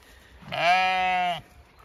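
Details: Single loud bleat from a Zwartbles ewe beside her newborn twin lambs in a field on a farm in County Kilkenny, Ireland; an even, rich-toned call of about one second with a clear start and end, little background noise.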